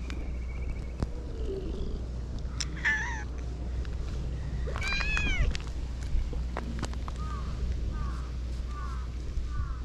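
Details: Friendly cats crowding a walker on a Japanese cat island, giving several short meows with rising and falling harmonics, one longer meow near the middle, and soft chirps near the end, over low wind rumble and clicks.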